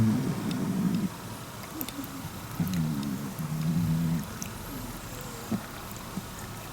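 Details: Chobi, a cat, snores while sleeping: low, rough, droning breaths in bursts about a second long, with a short pause between them and quiet room background.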